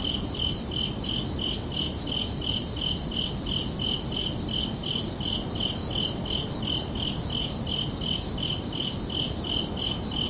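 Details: Crickets chirping under a night sky on a summer evening, a steady pulsed high chirp near three kilohertz repeating about three times per second, over a constant low rumbling background hiss.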